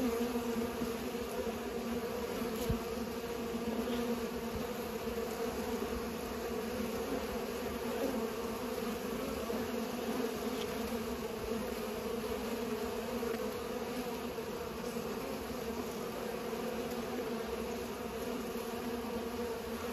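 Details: Bees pollinating produce a strong constant buzz, a thick droning hum of many insects, with a few brief faint clicks over the even background.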